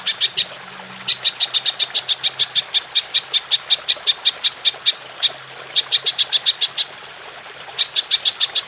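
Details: Belalang emas, the golden grasshopper, in a clear Indonesian songbird-training recording: rapid runs of crisp high ticking broken by short silences near one, five and seven seconds, each run resuming at the same brisk pace.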